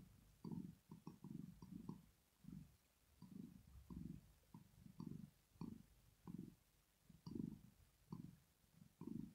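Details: Female cat Rosetta asleep and purring, showing relaxation; gentle low vibrating rumble pulses at an even pace, a little quieter and more irregular at times, nothing else clearly heard.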